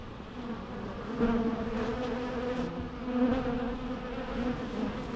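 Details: Natural bee buzzing, an even, low humming drone with gentle rises and falls in loudness over several seconds.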